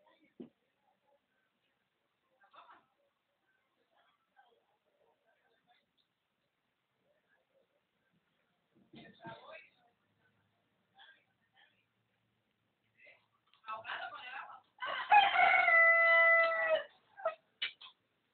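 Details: Domestic dog imitating a rooster's crow indoors: quiet shuffles and brief yelps build into a rapid stutter, then one sustained, steady, tonal wail about two seconds long, ending in short yips.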